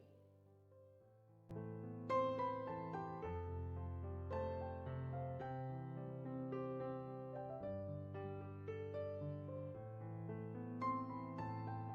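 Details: Gentle piano music plays throughout, sustained chords and melody notes with nothing else audible.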